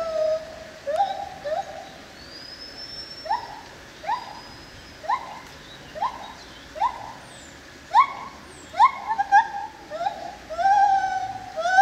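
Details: White-handed gibbon, Hylobates lar, in the Opole zoo, gives a series of short rising whoops that repeat roughly once a second and grow louder and quicker. A high thin glide sounds early, and a longer wavering hoot comes at the end.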